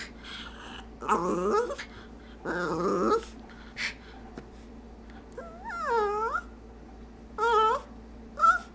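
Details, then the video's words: Stormy, a house dog wanting a treat from the jar, alternates growly warbling moans with higher, sliding yodel-like whines, each a second or less, with gaps of quiet between. "Our dog tries to talk"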